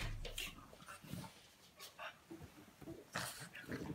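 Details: French Bulldog waking a sleeping person indoors: short, scattered snuffling and whimpering bursts, some breathy and some faintly voiced, with a woman's voice speaking nearby.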